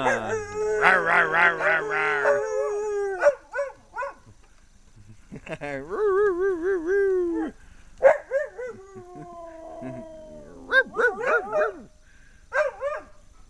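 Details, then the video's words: Several dogs howling together, recorded in August 2010: long, wavering tonal howls that rise and fall and overlap, broken by short sharp yelps and bark-like bursts, with brief quiet gaps between outbursts. "Dogs Howling"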